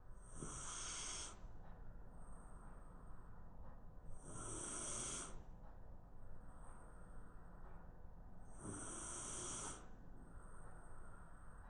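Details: Shiba Inu, a round maru-shiba, asleep on the floor during a midday nap, snoring in slow cycles: three long, breathy, rasping snores about four seconds apart, each with a hissy upper edge, over a steady low background hum.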